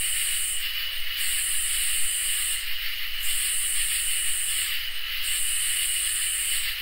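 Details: Summer night chorus of crickets and katydids. A continuous high ringing trill sits under rhythmic, sizzling high-pitched pulses that come in long bursts, roughly every two seconds, with short gaps between them.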